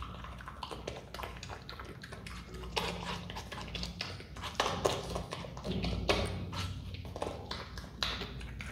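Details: Himalayan marmot, adopted and hand-raised, feeding on watermelon with rapid, roughly four-per-second crunchy chewing, louder juicy bites near the middle and end, and a low hum beneath.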